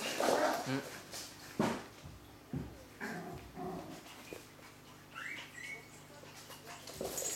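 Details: Eight-week-old pedigree Coton de Tuléar puppies playing indoors with a ten-week-old French bulldog puppy; short yelps and a rising, thin whining yip near the end, with thumps of play and some human voices in the room.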